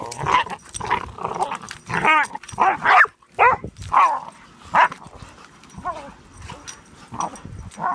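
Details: Squabble between Pudelpointers over a bone: rising and falling whining growls and yelping barks tumble over one another in an uneven, agitated exchange, fading to lower grumbles in the last seconds.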